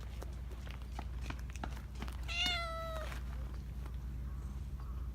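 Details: Black Persian cat among park cats, a talkative cat whose voice is called purring-meow style and anime-like; a single clear drawn-out meow lasting under a second, steady and harmonic-rich, over a constant low hum with soft ticking noises.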